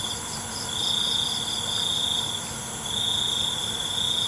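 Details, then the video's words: Night crickets singing: a piercing high trill that swells and fades in sustained bursts, set against constant higher-pitched insect ringing and faint low rumble. "ALUNAN CENGKERIK MALAM"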